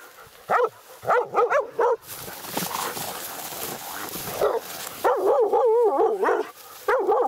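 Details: Laika hunting dog at night during a badger hunt, meeting a badger for the first time; rapid bursts of high, ringing, yelping barks, several in quick succession, then a gap with rustling and hiss, then more barking.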